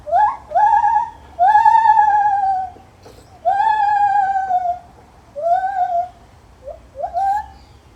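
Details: Lar gibbon calling in a zoo: loud, clear hooting notes, each swooping up then sliding down, rich in overtones, given in about five phrases with short pauses over a faint low hum.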